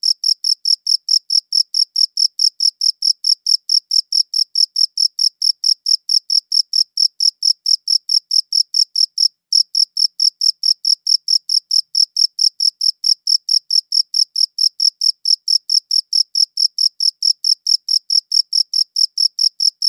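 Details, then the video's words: Crickets chirping, recorded in high quality: clean high-pitched chirps repeated steadily about twice a second, with a band of overtones above and one brief gap near nine seconds, over a silent background. "Cricket Chirping Sounds"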